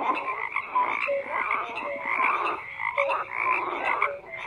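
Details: A brief stretch of massed frog croaking, rhythmic overlapping calls swelling and fading slightly, with scattered short higher notes over a constant pulsing chorus.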